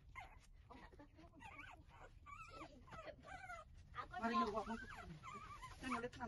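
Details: Several puppies whimpering while suckling from their mother, giving high, wavering whines that rise and fall in quick, overlapping bursts, with soft shuffling and suckling noises beneath and louder, crowded squeals near the end.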